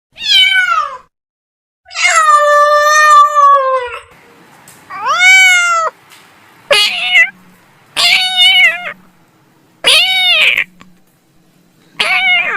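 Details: Cats calling indoors, from a compilation of baby cats: a string of clear meows, the first two long and falling in pitch, then shorter arched meows roughly every second or two, with faint background hum between calls.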